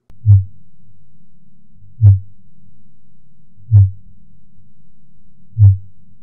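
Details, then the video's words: A fin whale, a baleen whale, gives low, thumping pulses repeating about every 1.7 seconds, sped up to be audible. These low-frequency sounds may reach animals hundreds of miles away to coordinate feeding or breeding. "so listen to this fin whale sound it's actually sped up so that we can hear it"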